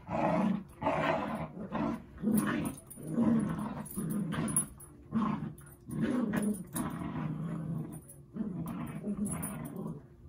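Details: Dog Zuko at play with Izzy, giving a string of separate growls of about a second each, roughly seventy a minute at an uneven pace, rough and low with short gaps.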